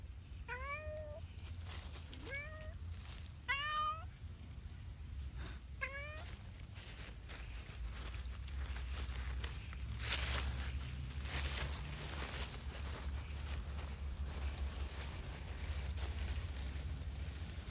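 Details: Cat playing freely outdoors in Pushkin Park: four clear, rising-then-falling meows in the first six seconds, then only steady wind rumble and background noise.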